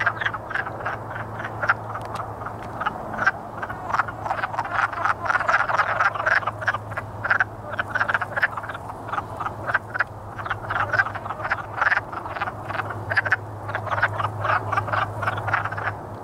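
Many wood frogs call together in a dense run of short, hoarse clucks, like quacking ducks. The overlapping croaks are the males' courting chorus, with a faint steady low hum behind them.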